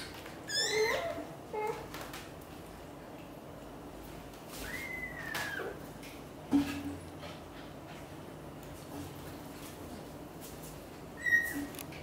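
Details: British Shorthair kitten Piano trying to leave the nest while mother cat Xaxa coaxes him to stay with his siblings; thin high meows, one early cluster, a long arching cry midway and a short one near the end, over a low steady hum.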